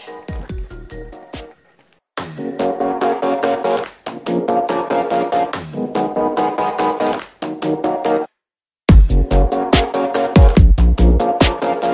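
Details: Loud electronic dance music with heavy bass drops and pounding beats, cut by brief silent gaps; no animal sounds are heard.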